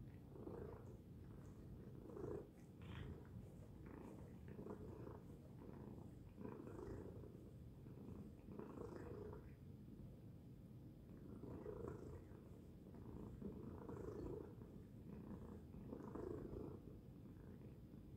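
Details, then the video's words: Loud purring from Tacy the cat, a deep steady rumble pulsing in regular breath cycles about every two seconds, with a brief brighter burst near the start; quiet indoor background. "Loud Purring Tacy Cat"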